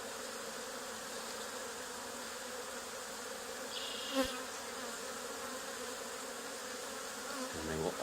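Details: Honey bee swarm settled on an old barn wall, two days after another hive was cut out of the same barn: a steady, low droning hum holds throughout, broken by a single sharp click near the middle.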